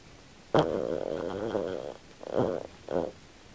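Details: Kym, a female pet Australian Silky Terrier, snores while sleeping and dreaming, in original audio: one long raspy, rattling snore of about a second and a half, then two shorter snorts, in a quiet small room.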